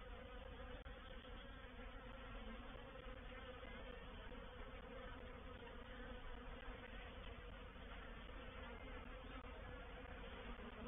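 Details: Reproductive swarm of honey bees moving into a bait hive at Painted Peacock Manor on 04/07/21; a dense, steady, low buzzing hum of many bees with faint higher overtones, unbroken throughout, with no other clear sounds.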